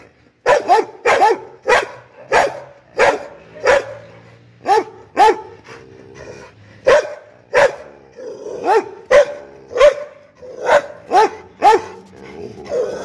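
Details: Pit bull dog barking angrily: loud, harsh barks, single and in quick doubles, repeated through the recording with short gaps and a brief growly pause midway.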